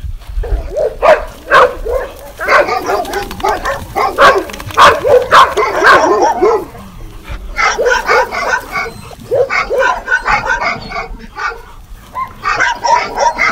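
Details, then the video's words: Several dogs barking together in a mixed sequence, loud sharp barks in quick bursts of roughly two per second, some higher yips mixed in, with short pauses between flurries. "Γαβγίσματα σκύλων - συνδυασμός γαβγισμάτων"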